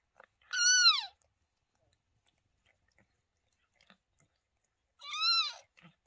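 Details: Indoors with cat Lola and the two kittens she delivered on 28 May 2023: two piercing, bow-shaped mews about four seconds apart, otherwise near silence with tiny clicks.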